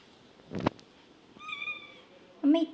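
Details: Domestic cat giving a short, moderately loud meow with a steady harmonic tone. A sharp knock or click comes before it, and a louder, lower burst of sound follows right after.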